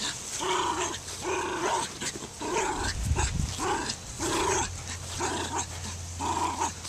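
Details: Dogs giving a series of harmonic barks roughly every second, with a steady low hum and a burst of low rumbling noise midway.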